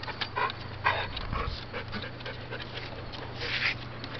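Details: Blue Heeler dog panting in quick, breathy, irregular bursts, over a steady low mechanical hum.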